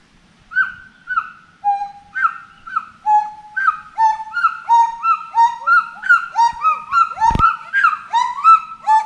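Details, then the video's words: Monkey in a forest giving loud, arched whooping calls that rise and fall, repeated roughly three times a second and building into overlapping cries, with a sharp click near the end. "FOREST MONKEY VOICE"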